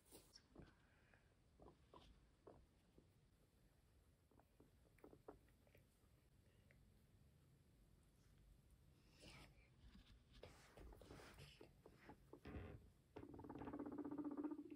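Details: Pet guinea pig Max crunching grass as he is fed. Soft, irregular clicky chewing bursts come quietly and fairly steadily, with louder rustling and a low hum toward the end.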